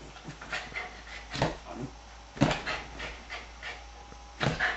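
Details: Diesel, a female Pyrenean Shepherd, behaving strangely; bursts of breathy panting and short snorting huffs come in uneven clusters, with loud puffs around the second and fourth seconds and quieter rustling between.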